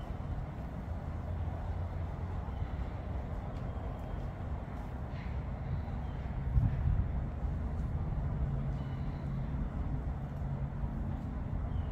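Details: Continuous low rumble of a vehicle or road traffic outdoors, with faint distant noises and no animal calls.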